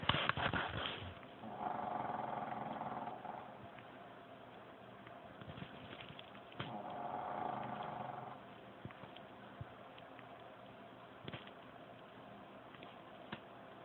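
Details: Püppi, a pet dog, snoring loudly while asleep: two long, rasping, noisy breaths about five seconds apart, each lasting roughly two seconds, with a sharp click at the start and quiet breathing between.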